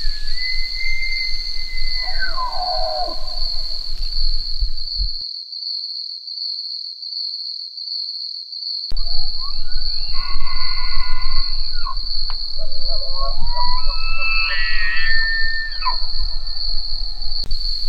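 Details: A bull elk (Cervus canadensis), recorded up close, bugles with high whistled notes sliding down into lower, rougher tones, then rising again.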